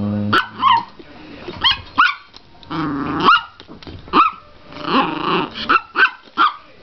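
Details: Female Chihuahua growling and yapping in mock ferocity as a hand slowly approaches during play: a rapid string of sharp, high yips, each with a whiny upward twist, broken by a rough low growl in the middle.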